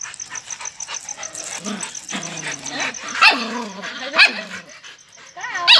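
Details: Puppy barking and howling: low murmuring whines, then three sharp high yelps spaced about a second apart, each trailing into a falling whimper, over a constant high-pitched background tone.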